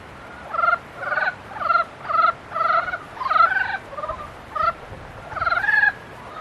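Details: Mating-season frog chorus of rapid, trilled croaks, each burst under half a second, repeated roughly every half second to second, with neighbouring frogs answering and overlapping.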